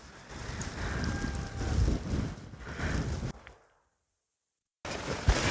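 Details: Wind buffeting the microphone with a low rumble of waves, cut by a moment of silence.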